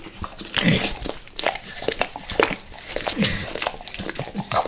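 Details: A dog called Max goes crazy for peanut butter oil, licking it indoors. Quick moist tongue smacks and clicks come roughly every half second, some sharp and bright, over a quiet room.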